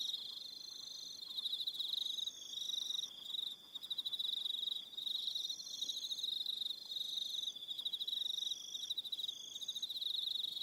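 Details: Evening crickets on Aroha Island, New Zealand: continuous high, finely pulsed trilling with several overlapping callers, some sliding tonal notes above, and occasional brief gaps.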